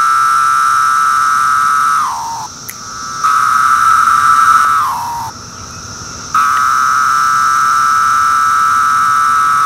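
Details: A male periodical cicada, Magicicada septendecim of Brood II, calls from tree bark in 2013, giving long, steady buzzing tones that slur downward in pitch at the end of each.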